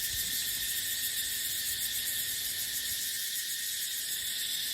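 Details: In a dry dipterocarp forest during the dry season, cicadas produce an intense, continuous, high-pitched electric buzz that wavers slightly in rhythm throughout, over a faint low murmur of wind.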